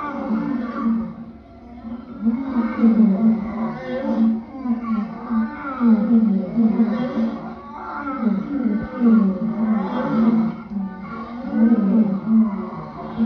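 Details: Repeated lion calls, deep grunting moans arriving roughly every two seconds in a steady series, each a rough, throaty burst that rises and falls in loudness.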